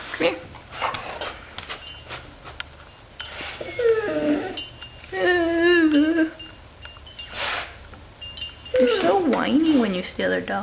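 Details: A dog named Bailey Blue, excited about another dog outside, gives wavering, rising-and-falling howls and whines in long drawn notes, with a woman talking to her between calls indoors.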